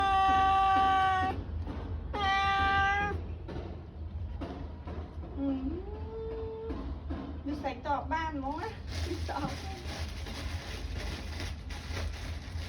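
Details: Cat giving two clear, even meows at the start, then softer wavering mews mixed with a person's voice and background music over a low hum.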